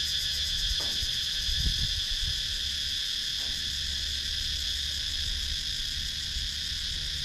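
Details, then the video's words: Constant shrill drone of cicadas in woodland outside Sakon Nakhon, Thailand, recorded with a GoPro Hero 9 action camera; the high buzz holds unbroken, with a faint low background hum and a couple of brief soft knocks. "Cicadas Sound"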